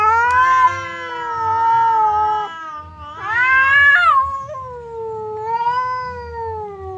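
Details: Cats Temon and Lelo, separated by a barrier, trade threatening yowls before a fight; long level wailing cries, a sharper rising howl midway, then a slow wavering moan, over a faint low hum.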